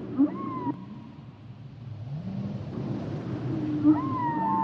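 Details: Humpback whale sounds underwater: a high whistled tone falling slightly and held, a slow low rising moan in the middle, then the high wail returns, with constant sea hiss.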